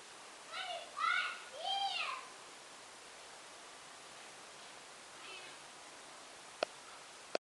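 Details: Bengal kitten Merlin, a male walking on a lead in a garden on a sunny day, utters three quick rising-and-falling meows close together, then a faint fourth; afterwards near silence broken by two sharp clicks.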